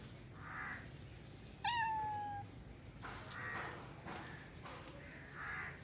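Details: A pet cat gives one clear falling meow, brief and mid-pitched, between softer muffled sounds and a steady low hum in a quiet room.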